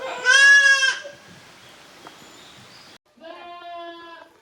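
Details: Young goats at Yoshigake, a handmade goat farm in Japan, playing in the exercise yard in two teams, the kids of Koharu and of Okayu, on 13 June 2023. A loud wavering bleat, then quiet, then a softer, steadier bleat.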